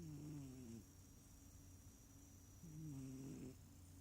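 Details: Sleeping small cat snoring, not purring: two low, rough, wavering snores, each under a second long, separated by about two seconds of quiet breathing, with a faint steady high-pitched hum in the background.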